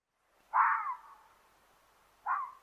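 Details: Fox played back from a website, two harsh yelling calls like a small dog, the first loud and longer with a trailing fade, the second shorter after a pause of over a second; quiet background.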